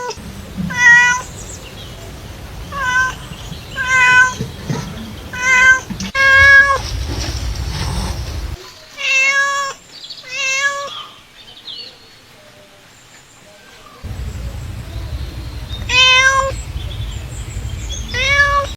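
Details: Domestic cat calls meant to attract other cats: a long run of short and drawn-out meows, some rising and some falling, coming in bursts with quiet gaps, over a low background hum that cuts out midway.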